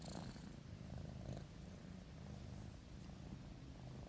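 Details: Sleeping kitten purring. A steady, low, rumbling purr runs throughout, soft and continuous with a slight pulsing texture and no other clear sounds.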